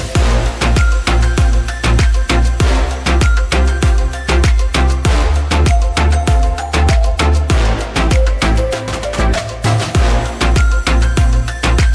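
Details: Upbeat music with a steady pounding drum beat, a deep bass line and bright percussion throughout; no animal sounds.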